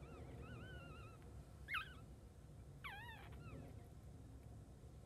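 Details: Newborn Chihuahua puppy just after birth gives thin, high wavering whines, a drawn-out wobbling cry early on and a couple of short squeaky rising-falling whimpers later, over a low steady background hum.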